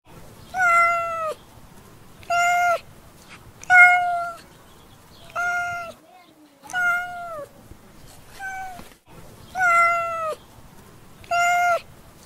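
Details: Domestic cat meowing in a steady series, about seven drawn-out, slightly falling harmonic meows spaced one to two seconds apart, each ending in a downward bend, over a faint low hiss.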